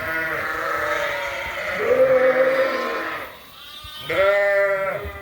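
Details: Suffolk lambs in a barn at Ewetopia Farms, groups mixed together after a gate was left open, around 8:00 at night: long wavering bleats with rich harmonics, one sustained cry followed by a shorter second bleat.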